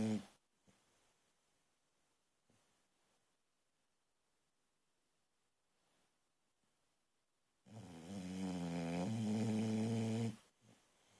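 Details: ['Boxer puppy, a young female, sleeping and snoring loud: near-silent breaths for several seconds, then a strong rattling, buzzy snore of nearly three seconds with a wavering pitch, followed by a soft breath.']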